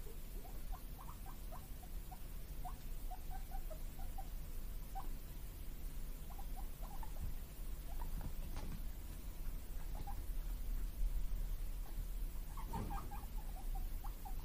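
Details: Two guinea pig brothers kept as pets, born 31 March 2022, 'puipui' for vegetable treats: bursts of short wavering squeaks come in groups of three to six, spread over the whole stretch, with occasional soft knocks and clicks.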